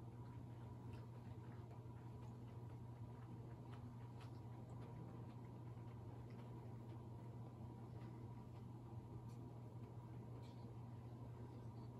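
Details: Low steady hum with faint ticks and clicks indoors; no animal voice is heard.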